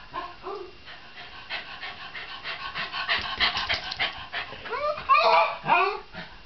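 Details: Shiba Inu dog panting rapidly in quick rough bursts, with an early short whine and a string of loud, bending yelps and whines near the end.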